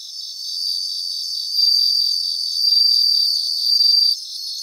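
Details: Several bell crickets sing in a grassland, one voice rising above the rest in long shimmering high trills lasting about a second each, while a fainter chorus of pulsed chirps runs underneath without pause.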